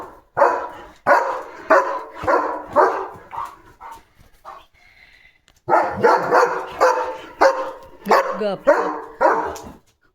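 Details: German Shepherd dog keeps barking at a small puppy standing quietly outside; a run of loud barks about every half second, a short pause with faint voices, then another burst of rapid barking.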